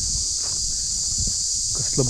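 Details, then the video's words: Crickets calling in daytime at Madhu Makarand fort, Maharashtra, though usually heard at night: a continuous, high, shrill buzzing drone without pause, with soft footsteps and brief speech underneath. "रातकिडे असतात ना आपल्याला रात्री ऐकायला येतो आवाज. तिथं दिवसा पण असं वाटतं की रात्रच आहे."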